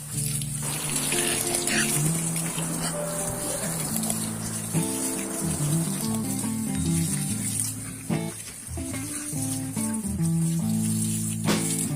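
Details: Instrumental music plays steadily throughout, with a rushing, trickling water sound underneath and a brief murmur of speech.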